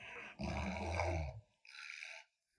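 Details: Lolo, a pet Alaskan Malamute kept at home, gives a low rumbling growl lasting about a second, followed by a short, softer, hissing burst of noise before silence.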